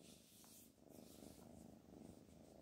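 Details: Indoor purring from the pet cat Black Panther, also called Nanous, while being urged to get up: a soft, continuous low rumble pulsing in steady fast beats, with faint rustling over it.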